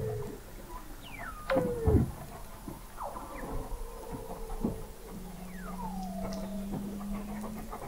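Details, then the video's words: Recorded November 2017 beneath the sea ice of McMurdo Sound, Antarctica, at 21 m depth, Weddell seals give descending swoops, a strong downward chirp, and a long flat low tone, with further gliding whistles from other seals. "Song of the Antarctic Weddell Seal"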